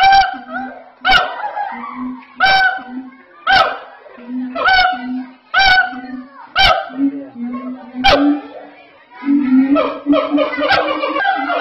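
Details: At Ragunan Zoo, Jakarta, siamang gibbons scream very loudly: sharp harmonic barks repeated about once a second over low booming notes, ending in a dense, rising chorus of overlapping hoots.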